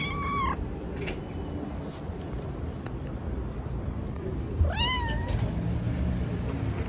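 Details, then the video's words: Hungry stray tabby kitten living outdoors, calling loudly for its mother while eating: two clear, drawn-out meows that rise then fall, a few seconds apart, over a steady low rumble of background noise. "Tabby cat is hungry.She eats badly and meows loudly and calls her mother.Kitten is looking for a mom"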